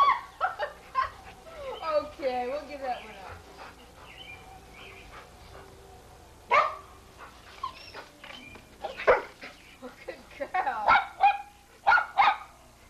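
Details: Sadie, a Pit Bull filmed in 1983, excited while being fed bubbles; short sharp barks and yelps burst out in uneven clusters, loudest near the middle and end, over frequent human talking and laughter.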